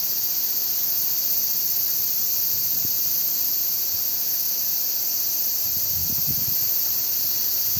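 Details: Wind and cicadas at Yotsuike Park: an unbroken, shrill, hiss-like cicada drone holds level throughout, while soft low wind gusts swell briefly near the middle and toward the end.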